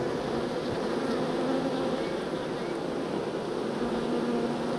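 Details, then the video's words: Many honeybees buzzing while transferred from a nuc box to a hive, a thick, even drone of overlapping wingbeats with slight wavering in pitch and no pauses. "Moving Honeybees from Nuc to Hive"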